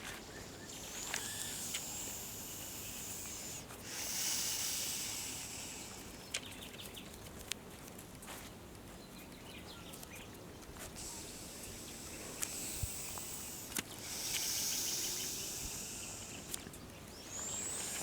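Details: Close-up of a big green snake poised to strike, its breath heard as broad rushing hisses that rise and ebb in slow waves, with sharp ticks and soft natural background noise between breaths.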